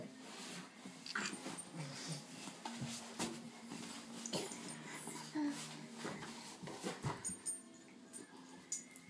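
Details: Boston Terrier kept as a pet, playing indoors with a baby boy; soft whimpering and wheezy snuffling notes recur through the clip, with a child's voice and household speech in the background.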